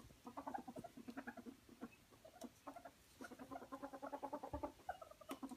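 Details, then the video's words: Ferret wrestling and playing indoors, giving rapid clucking chuckles in dense bursts, many soft pulses per second with brief pauses between runs, plus faint rustling of movement. "Frettchen quietsch vergnügt"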